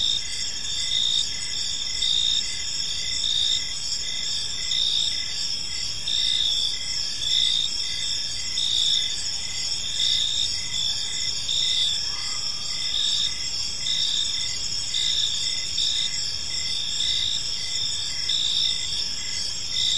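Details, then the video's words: Crickets chirping in a peaceful park as evening unfolds; a dense high-pitched chorus of steady trills with rhythmic pulses swelling roughly every second, layered over a soft low background hum. "Park Serenade: Cricket Sounds in a Peaceful Park | Evening Ambience"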